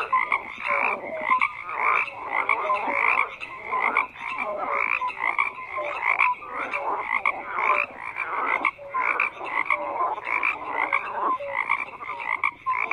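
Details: Dense frog chorus of overlapping croaks, layered rasping calls and short tonal notes pulsing continuously with no pause, a busy night-pond wall of sound.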